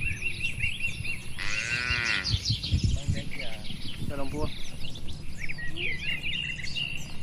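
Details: Tame cattle herded while grazing in a wide, green oil palm plantation in the countryside: one drawn-out, low, harmonic moo lasting nearly a second, then a shorter second moo a couple of seconds later, with birds chirping and whistling steadily throughout.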